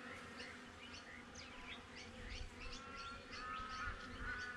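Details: Steady droning hum of honey bees at a backyard hive, captured on a GoPro, with repeated quick upswept bird chirps and a few thin whistled notes above it.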